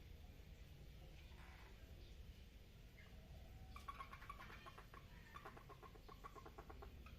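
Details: Frogs mating in a water lily pond, giving quiet pulsed croaks in rapid rattling bursts that begin midway and repeat several times over a low steady background rumble.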